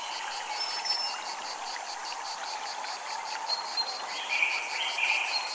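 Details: Cicadas at a Japanese temple, a high pulsing buzz beating steadily several times a second over a constant rush of running water, with a few bright chime tones near the end.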